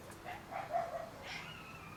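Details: Shiba Inu puppies, 30 days old, give short, soft whimpering cries that rise into a thin, drawn-out whine near the end, over a quiet room hum.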